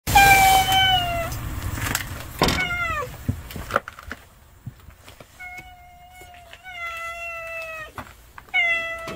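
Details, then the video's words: Stray cat stealing a house cat's food, meowing repeatedly: long harmonic cries that slide downward, several in quick succession with short pauses, plus brief clicks and rustles in the background. "집고양이 밥을 뺏어먹는 양아치 길고양이"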